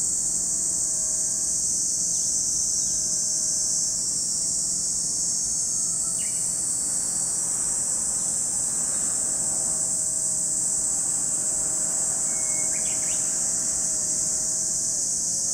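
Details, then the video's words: Continuous shrill drone of cicadas at Lake Kamo on Sado Island, Niigata, Japan, even and unwavering, with a few faint brief chirps of birds scattered through and a soft low background hum. "Lake Kamo in Sado City, Niigata Prefecture, Japan, where you can hear the voice of cicadas."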